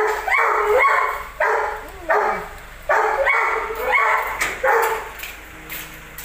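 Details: Belgian Malinois, possibly aggressive, giving loud, harsh barks in quick, uneven bursts, about eight in six seconds, with a brief falling whine between them.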